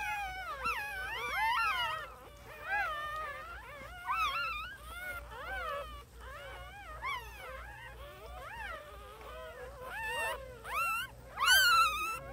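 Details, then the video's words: Newborn puppies give a steady stream of high, wavering whines, many short rising-and-falling cries overlapping, with one sharper, louder squeal near the end. "New Born Puppies"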